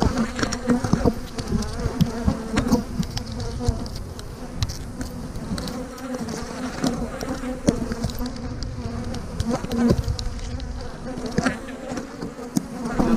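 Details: Mass of honey bees buzzing while hives are divided into splits with queen cells, 3/2020; constant low humming drone with overtones, scattered clicks, knocks and low rumbling handling noise.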